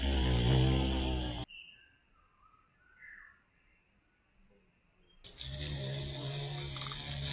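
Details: Violet carpenter bee in Mazovia, Poland, reappearing after being declared extinct in 2002. A loud, deep hum opens and closes the clip. In the quieter middle stretch, birds chirp and whistle softly.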